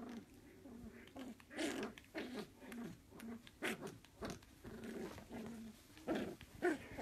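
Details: Playful Jack Russell Terrier puppy making short, choppy growls and grunts in irregular bursts, about two per second, with soft rustling and handling noise indoors.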